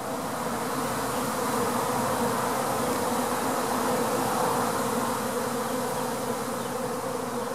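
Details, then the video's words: Honey bee swarm moving into a top bar hive, a dense steady drone of many bees filling the air without pause, low hum with a broad noisy wash above it. "Bee Swarm Moving Into Top Bar Hive"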